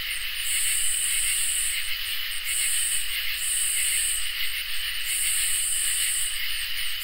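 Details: A summer night chorus of crickets and katydids: a constant shrill trilling underneath, while a very high, hissing buzz switches on and off in long bursts of about one to two seconds.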